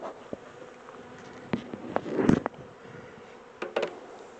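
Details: Honey bees of a captured swarm transferred from a small temporary box to a bigger hive; continuous low hum of massed wings, broken by a few sharp knocks and a louder rustling thump near the middle.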